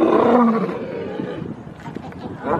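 A lion lets out a deep, gravelly roar, loudest at the start and trailing off into rasping breaths. A faint voice and some background noise follow as it dies away.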